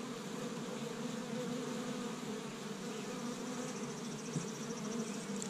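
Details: On the first warm spring day in Michigan, an established honey bee colony hums at its hive while gathering tree-bud pollen. A constant droning buzz, with a faint rapid high ticking near the end.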